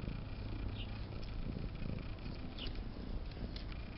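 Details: Bitey Cat, a domestic cat, purrs while playing with a zipper and trying to bite it. A steady low rumbling purr with pulsed texture runs throughout, with faint rustling above.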